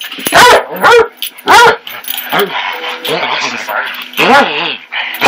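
Basset Hound puppies give high, squeaky yips and whiny little barks in quick, uneven bursts.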